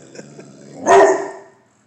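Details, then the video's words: A single loud, rough bark from Chapel the Bullmastiff, who barks only when he feels a threat; the bark swells briefly and fades, with quiet room noise before it. "The Brave Bull(Mastiff)"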